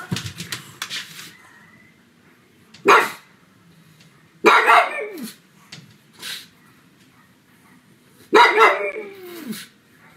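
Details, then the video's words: Loud barking from Sebastian, a pug, indoors at home on a sunny afternoon: sharp barks spaced a second or two apart, the last one trailing into a whining, falling tail; light rustling at the start. "Sonido de PUG LADRANDO, muy fuerte"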